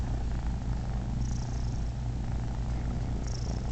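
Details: Uncle Mo, the male cat Momotaro, lets three of Daisy's kittens nurse and gives a happy purr: an unbroken low rumble, even in loudness, with faint higher rustling above it.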